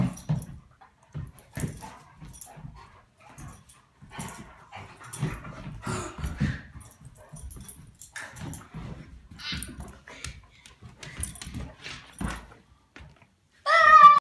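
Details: A Great Dane puppy and a Komondor play fighting give low, rumbling growls broken by short whines, ending in a sharp, high yelp.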